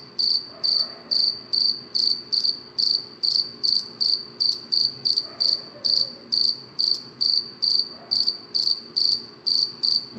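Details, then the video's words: Insistent nocturnal cricket song, shrill high-pitched chirps repeating evenly around twice each second, with nothing else prominent in the quiet night background. "cricket chirping sound صوت صرصور الليل"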